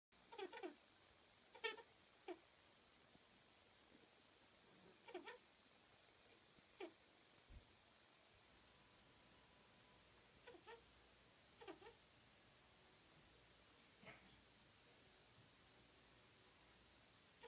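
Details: A chinchilla chasing its cagemate around the cage stops every so often to give short, squeaky, nasal calls in scattered bursts; the owner wonders whether it is a mating call.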